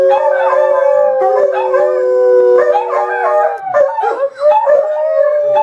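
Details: Several dogs howling together: long, sustained, wavering tonal howls at steady pitch with rich harmonics overlapping, a few notes sliding downward near the end.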